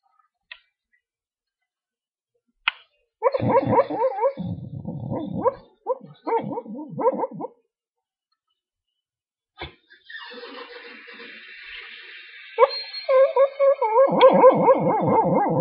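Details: Larry, an American Dingo, dreaming in his crate: bursts of high, wavering whimpers and muffled yips in quick runs, a pause, then a faint rustle and more whining yelps building at the end.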